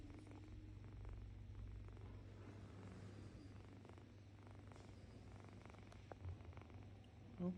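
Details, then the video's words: Pet cat, female, cooing as she habitually does: a low, even purr-like drone that holds steady for several seconds, ending with a faint soft click. "She always makes a cooing sound"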